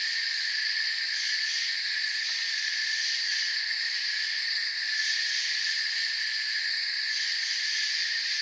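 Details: Steady forest chorus of crickets, shrill continuous chirping spread over several high bands with slight rhythmic pulsing and a faint tick or two, otherwise uniform.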